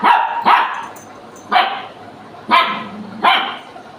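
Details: Pet dog named Picco indoors at home, barking in short sharp bursts, five barks spaced about a second apart, with a quiet room behind.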